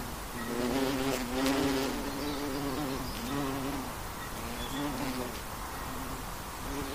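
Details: Flying western honey bee giving a continuous low hum with a slightly wavering pitch and rich overtones, louder in the first two seconds and then holding steady, over a faint rustling background.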